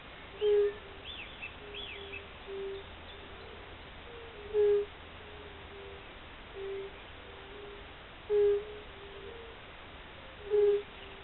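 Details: Spring chorus of fire-bellied toads: low, soft 'oop' notes from several animals. The louder calls come roughly every two seconds, with quieter callers in between, over a steady low background and faint distant birds.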